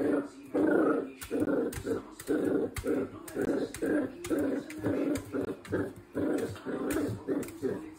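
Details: Naughty, playful miniature Dachshund growling in rhythmic bursts, roughly two per second, throaty and mid-pitched, sustained throughout in a small indoor space.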